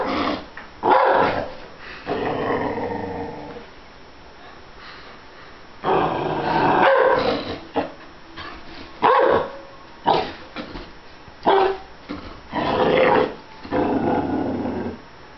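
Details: Dog growling and barking at a stuffed animal, a long snarling growl early on, a quiet pause, then a run of short harsh barks and growls spaced about a second apart.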